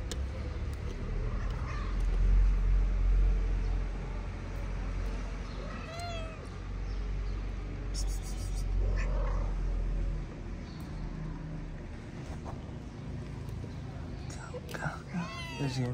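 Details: Street cats in Morocco, a mother cat eating while her kittens play-fight on their wooden house; a few scattered rising-falling meows over steady traffic rumble, with a man talking softly in Arabic.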